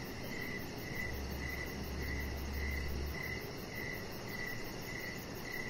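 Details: Crickets calling in the evening outside on a deck, evenly spaced short chirps about twice a second, while a low steady hum rises briefly for two seconds beneath the hiss.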